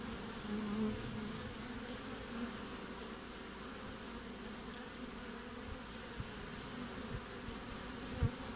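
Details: Honey bees busy at the entrance of a hive in Australian winter, 20 June: a dense, even low hum throughout, with several short sharp taps or knocks toward the end.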